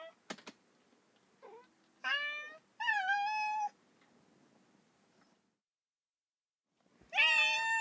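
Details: Domestic cats and kittens meowing: a short faint mew, then two clear harmonic meows near the middle, one drawn out about a second, and a loud rising meow at the end after a silent pause.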